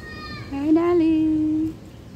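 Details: A cat gives one drawn-out meow lasting just over a second. It starts with a slight rise, then holds a steady, clearly tonal pitch before stopping. Nothing else is heard around it.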